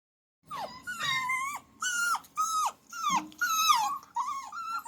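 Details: Puppy whimpering and whining in a series of high, tonal cries with rich harmonics, each note rising then bending downward, about seven cries in quick succession with short gaps.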